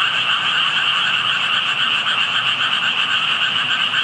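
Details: A dense chorus of frogs near water gives rapid pulsing croaks blending into a steady, ringing drone; only tadpoles were visible, and the recordist wondered whether frogs were hidden or the tadpoles were calling.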